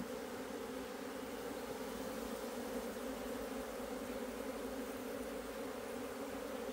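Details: Asian honey bee hive, 26 September 2023, bees busy digging out the food comb; an unbroken, even buzzing drone fills the whole stretch at a constant level.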